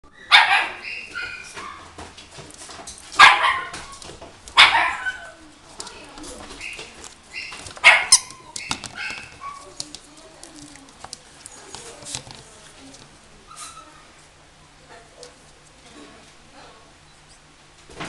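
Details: Toy Poodle at a pet shop in Himeji, Japan, giving a few sharp, high barks spaced a few seconds apart, then quieter indoor background noise.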